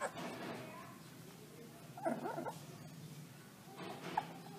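Wolf pups give short, squeaky, wavering howls and yips against a hissy, noisy background.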